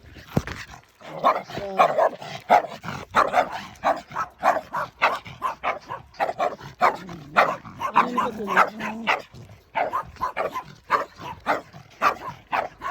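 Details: Barking during a standoff between Bokdol-i and five neighborhood dogs on a walk. Dense, overlapping barks from several dogs come almost two per second for over twelve seconds, with a few higher yips and some whining in between.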